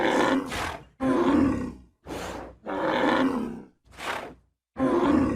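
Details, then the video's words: Deep, grating bellows from a bull, strained roaring calls broken by quick harsh snorting breaths, five or six loud bursts in close succession. "ANIMAL SOUNDS : BULL"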